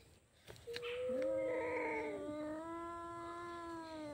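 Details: Two cats fighting: a long, drawn-out moaning yowl that holds a steady low pitch for about three seconds, with a second, higher wavering voice overlapping it at the start. Both voices are fairly quiet.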